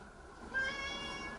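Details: Pet cat indoors meowing, said to be complaining that the television is too loud; one drawn-out, steady, harmonic meow starts midway and holds to the end over low room and household noise.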